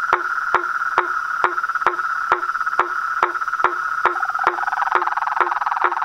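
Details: Pond frogs and toads at dusk near a house, chaotic nightly chorus: a continuous humming trill held at one pitch with crisp knocking pulses roughly twice a second, a second rattling voice joining toward the end.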